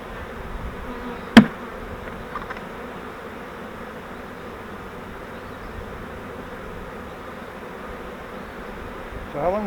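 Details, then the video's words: A captured honeybee swarm from a fiber bait-hive swarm trap, transferred to a Langstroth hive, hums with a low continuous drone; a sharp click cuts through early on and a voice begins at the very end. "We Caught a Swarm of Bees - Now What?"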